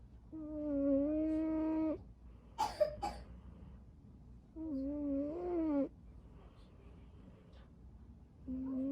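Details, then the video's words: String Cheese, a cat asleep and curled up, snores in long whistling tones, about fifteen per minute, with a couple of sharp clicking noises between the first two snores and another snore starting at the end. "He’s all curled up snoring."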